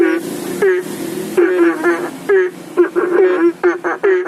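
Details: Banded bullfrogs calling for rain at a fish pond and aviary pond in front of a house near a public road, phone-recorded: short nasal, harmonic croaks from several frogs overlapping irregularly, with a passing vehicle's broad rumble early on.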